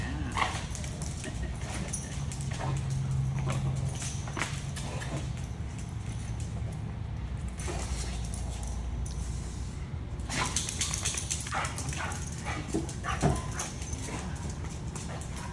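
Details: Pit bull mix whimpering during a reunion with its owner; short yips and whines scattered through heavy low rumbling noise, with bursts of broadband clatter and a man's voice nearby.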